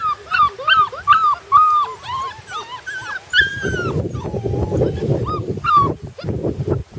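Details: Puppies on their first day outside, whining and yelping in a rapid string of high, bending whimpers, then lower grumbling noise with a few more cries near the end.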